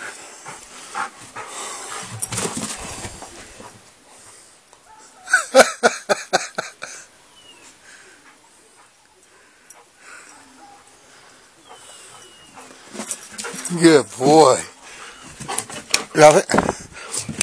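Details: Golden Retriever named Blue playing fetch in the snow on January 29, 2013; short bursts of harmonic whining and yelping vocalizations come in two clusters, with a person's voice and snowy outdoor rustling between them.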